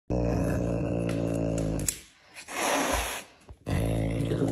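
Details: A caracal hissing while eating: a deep, rumbling harmonic growl, then a breathy, noisy hiss lasting about a second, then the low growl again; a person speaks briefly afterwards.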